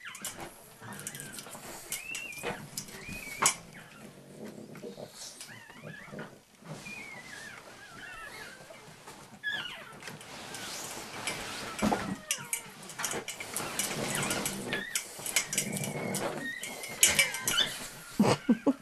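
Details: Mother pug demanding access to a shared feed bowl from Dad Willson, another pug, at dinner; a long run of squeaky, bending whines mixed with snorting grunts and rough, noisy bursts that grow louder toward the end.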